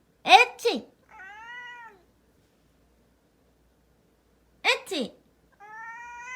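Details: Pet cat indoors, in a small room, reacting to a person's loud fake sneezes: two sharp human sneezes, each followed by a drawn-out, slightly wavering cat meow lasting about a second, with silence between.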